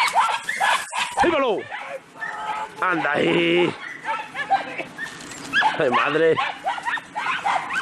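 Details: A pack of Podenco Andaluz hunting hounds, on a rabbit hunt, give excited, high-pitched yelps sliding steeply downward in bursts as more dogs join the chase, while a man talks over them.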